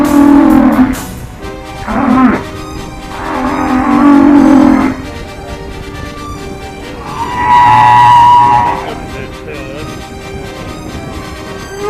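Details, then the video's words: Humpback whales talking to each other, played back while watching whales on a Washington State and Alaska trip: several low tonal moans in the first five seconds, then a higher wavering cry near eight seconds, with quiet hiss between. "This is what humpback whales sound like when they talk to each other. Let's listen to this recording as we watch the whales."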